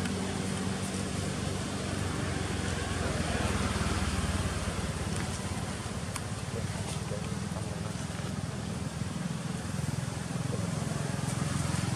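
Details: Loud, continuous road traffic and motor engines rumble under occasional human speech, with no animal voice.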